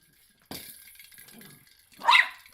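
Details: Young male miniature schnauzer, eight months old, worked up over a ball, gives a single short, sharp bark after a soft rustle, while a person hushes him and urges him to get it.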